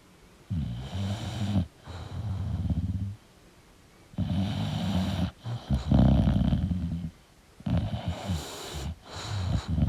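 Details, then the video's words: English bulldog snoring in its sleep: coarse low rumbles on each breath with sputtering, snorting exhales, roughly three breath cycles with short quiet gaps between them. "English Bulldog Sleeping & Snoring Sound"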